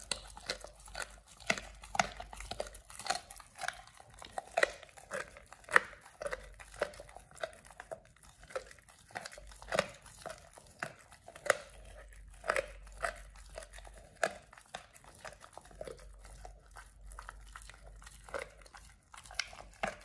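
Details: Pit Bull named Oliang eating a raw ostrich paw for the first time, indoors; wet crunching and tearing bites come in uneven bursts with short pauses, close and quiet, with no other clear sounds.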